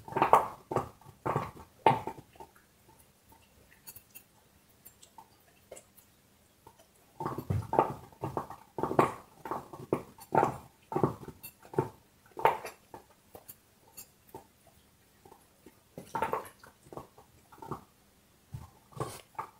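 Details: A dog gnaws on a bone, producing bursts of dry crunching and cracking, each run several seconds long and separated by short pauses, with scattered softer clicks between.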